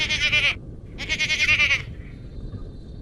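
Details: Garut goat on a farm giving two loud, wavering, nasal bleats, the first short and the second longer with a strong tremolo, followed by quiet background rumble.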